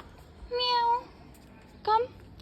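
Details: A visiting female cat meows twice indoors: first a drawn-out, steady, tonal mew lasting about half a second, then after a pause a shorter, slightly rising one, with a person's quiet voice nearby.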